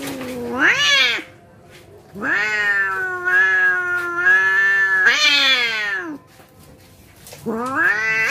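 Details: Growling yowls from cats squaring up to fight: a rising wail, a long steady howl, another upward-swelling cry and a final rising call, separated by short silences.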